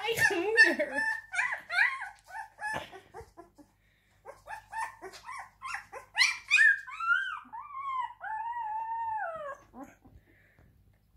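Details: Siberian Husky crying indoors, a run of wavering, whining vocal bursts followed by longer arching howls that rise and fall, with short pauses between phrases.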